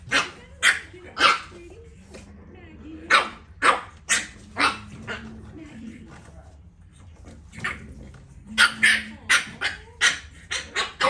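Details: Two French Bulldog puppies at play: bursts of sharp, high yaps and barks broken by short pauses, with a person's voice quietly underneath.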